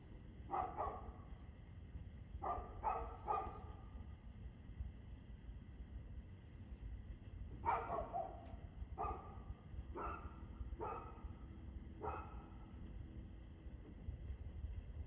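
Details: A dog barking in the early evening, 6:02pm on 2 February 2024: short broadband barks in loose clusters, about nine across the span, some doubled, over steady low rumbling background noise.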